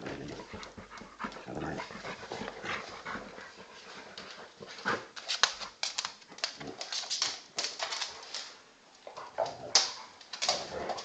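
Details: Old English Bulldog pup of 10 kg play fighting with a 40 kg male Bullmastiff cross; harsh panting, grumbling and high yipping whimpers in irregular bursts, busier and louder in the second half, with scuffling.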